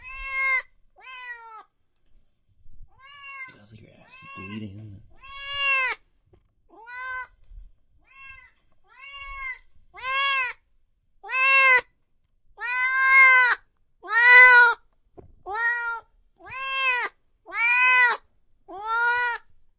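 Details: Cats and kittens meowing loudly, starting with soft, scattered meows and a brief low murmur, then building into a steady series of loud, arched, harmonic meows about once every second.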